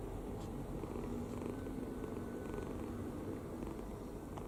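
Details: Relaxed kitten sleeping deeply with open mouth, snoring; a dense low rumbling hum holds steady across the short stretch with no breaks.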